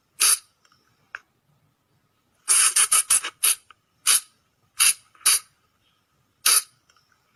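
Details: Lure recording of Sunda flying lemur, played at night to draw in the animals: piercing, rasping high-pitched squeaks, a tight run of five bursts followed by spaced single calls about half a second to a second apart.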